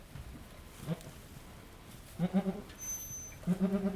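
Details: Goat named Halley Berry in labour at Needham Goat Farm during the birth of her second of three kids: a faint low bleat, then two louder quavering, pulsed bleats about a second apart, each with stacked harmonics.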